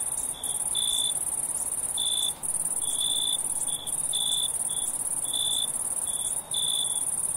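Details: Crickets at night make a loud high trill that pulses slightly, with a lower voice adding short chirps, some doubled, about once a second. A few brief dips in loudness break the trill.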